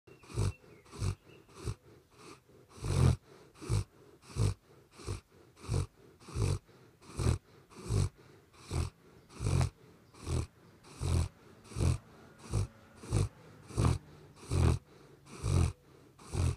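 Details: Sleeping dog snoring at night, a steady run of low, rasping breaths repeating more than once a second, each snore a short broadband rumble with quiet pauses between.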